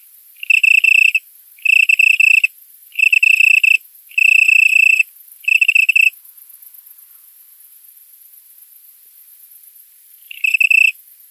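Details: Italian tree cricket male calling to females in a Polish currant plantation, September 27 at 20.00, 18℃, the last warm night of the year; five even, purring musical chirps about a second long, then four seconds of silence and one more chirp.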